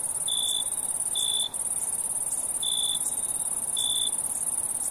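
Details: Crickets calling at night, a constant piercing high trill plus four distinct lower chirps, each about a third of a second long, spaced roughly a second apart.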